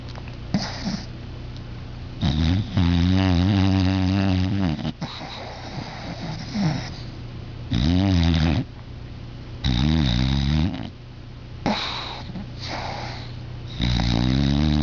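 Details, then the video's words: Sleeping, dreaming dog Angel snores steadily: a run of loud, rough, quavering breaths, each roughly a second long with short quiet gaps, some with a wobbling, almost growly tone, inside a quiet room. "Angel snoring"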